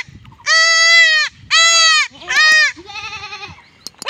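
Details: Young goat being castrated in a village, crying out in three loud, drawn-out, high-pitched bleats of nearly a second each, then a softer, wavering bleat fading at the end.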